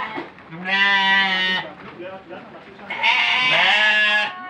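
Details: Goat intended for the Qurban sacrifice, filmed for children's amusement; two drawn-out, quavering bleats about two seconds apart, with softer rough noise and murmuring in the gap between them.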